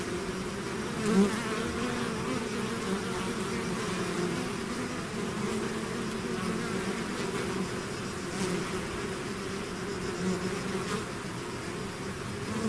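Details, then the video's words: Many bees swarming out of their hive: an unbroken droning hum, wavering low and mid bands rising and falling slightly, with a few faint clicks scattered through the steady buzz. "bees therapy swarm natural buzzing sound"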